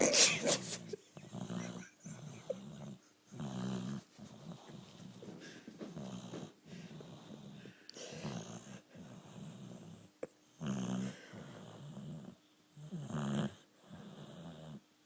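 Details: Female boxer dog, four years old, asleep and snoring: rough, wheezy snores in repeated bursts, each breath a raspy rumble lasting about a second, separated by short quiet gaps, with a few louder snorts near the end.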